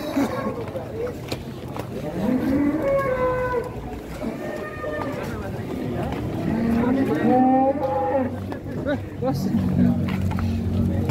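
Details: Cattle at a crowded morning livestock market, shown as the biggest and most expensive animal arriving. Several low, drawn-out moos rise and fall between excited men's voices, with constant crowd murmur behind.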